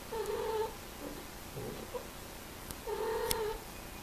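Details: Cats heard during mating give two long, steady, moaning yowls, one at the start and one near the end, with faint low grumbling between them.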